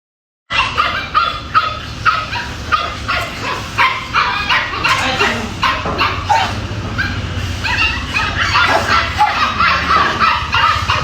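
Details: Angry Dobermann barking; rapid, harsh barks repeated almost three times a second, steady and unbroken throughout, with a low background hum.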